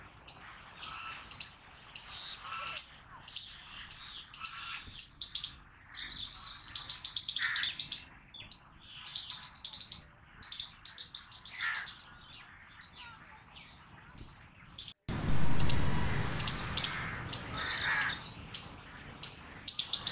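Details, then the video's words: Squirrel barking loudly in long bouts: rapid, high, sharp chirps, sometimes stuttered into quick trills, continuing for twenty seconds; a burst of rough, low rustling noise intrudes for a couple of seconds near the end. "Squirrel Barking Loud Sound"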